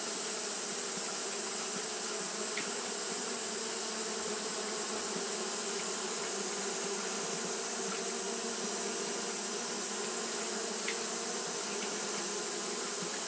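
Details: Hot-day fanning by Japanese honey bees: a sustained, even buzzing hum of many wings, with a few faint short ticks and a persistent high hiss in the background.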